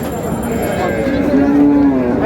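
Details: A long, steady, low moo from a cow at the Raniganj cattle market in Dinajpur, where cows are sold with their calves, set against crowd chatter and market noise.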